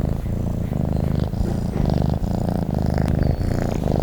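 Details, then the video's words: Domestic cat asleep and purring, a thick low rumble in short, even breath cycles of under a second, recorded close with nothing else heard. "Sleep and the sound of a cat purring"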